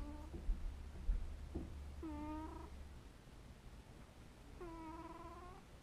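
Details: While sleeping, a pet cat utters three gentle, drawn-out mews about two seconds apart, tonal and slightly wavering, with a couple of soft thumps early on over a low droning background.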